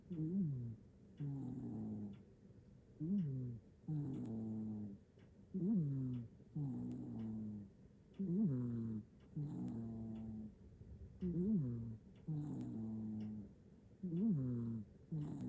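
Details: Black-and-white house cat snoring in deep sleep, Japan, captured with an iPhone 15 Pro Max; steady low, throaty rasping breaths repeat roughly every second and a half, each with a brief rising-falling inflection, in a quiet room.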